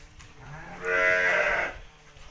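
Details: Garut sheep being fed by a village girl at Kampung Bentengur in the Garut countryside among rice fields; one loud, wavering bleat of about a second, rising then fading, over low rustling background noise.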